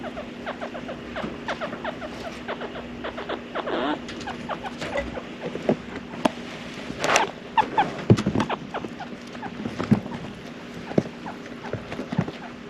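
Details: Loki, a male cinnamon grey pet chinchilla born September 2015, gives his usual call, one the females do not make; short clicking and squeaky bursts repeat irregularly, growing denser around the middle, over a faint steady background hum.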